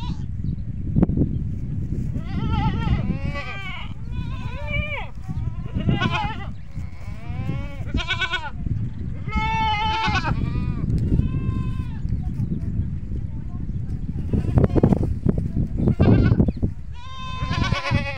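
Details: On a goat farm, several goats bleat in quick, wavering, harmonic-rich calls over a low rumbling background; the calls draw the young kids to the adult goats.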